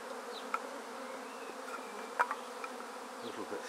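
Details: Fanning honey bees of a swarm just taken into a basket from a tree, queen inside; continuous buzzing hum overlaid by a few wooden taps and clicks as the basket is closed up.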